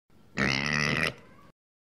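A pig gives a single harsh, rasping grunt lasting under a second, with a softer rumble trailing off.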